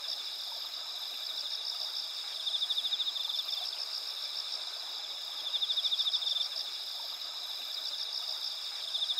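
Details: Autumn insects in moonlit rice fields with susuki grass and red spider lilies at Asuka village, Japan, on the clear night of 20 September 2021, make a steady high ringing chorus with buzzy trills rising every few seconds.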